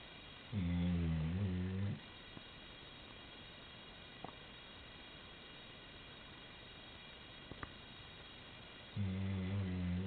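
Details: Maddy, a 90-pound female chocolate Labrador Retriever, asleep at the end of a bed, snores: a deep, droning, buzzy breath near the start, a long quiet stretch with faint clicks, then another low rumbling snore at the end.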